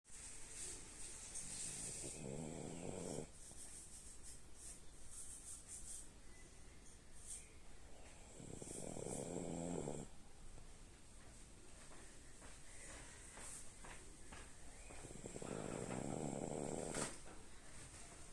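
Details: A sleeping female French bulldog snoring quietly: three soft, raspy, rumbling snores, each lasting about two seconds and spaced roughly seven seconds apart, over a faint high-pitched background hiss.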